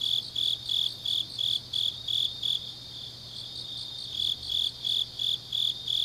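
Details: Insects of the grass calling late on an autumn night in Changnyeong, South Korea: evenly spaced shrill chirps, pausing briefly midway before resuming the same rhythm, with softer chirping behind and a low electrical-like hum.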